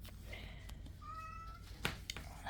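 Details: Indoor house cat meowing because he wants to go outside: a drawn-out tonal meow, steady then slightly rising, with clicks and handling noises and quiet household sounds around it.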